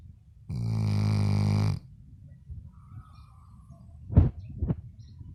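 A Labrador Retriever gives one long, deep, rattling snore, followed by quiet breathing and a couple of soft snuffles.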